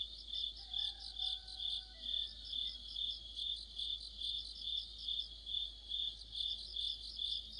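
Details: Autumn chorus of crickets and other insects near a streetlight, shrill chirps pulsing evenly, overlaid trills, and a few faint gliding tones at the start.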